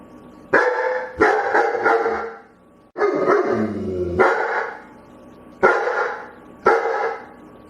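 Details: Begging dog barking repeatedly: about eight throaty barks, several coming in quick doubles and triples, with one longer, wavering bark midway and brief silences between bursts.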